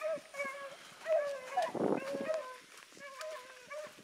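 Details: Dogs Sassy and Magnum, pups in training alongside Ringo and Boone, give drawn-out harmonic howls and bays. Several voices overlap, wavering and sliding, with a short burst of rough noise near the middle.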